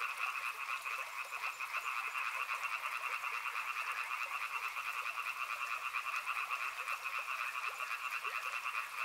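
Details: Unbroken frog chorus near a river, rapid rattling croaks massed together in a high and a middle band, evenly loud throughout, with a gentle wash of water underneath.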